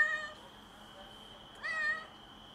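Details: A stray female cat on a balcony, after giving birth to a premature kitten, meows strangely: a brief faint call at the start, then a clear, slightly rising and falling meow of about half a second, over a steady high-pitched hum.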